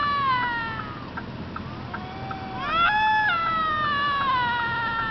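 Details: Fighting bobcat screams: a sustained descending yowl with rich harmonics, then a sharp upward-sweeping cry near the middle that turns into a long, falling, wavering wail, over faint clicks and a constant low background hum.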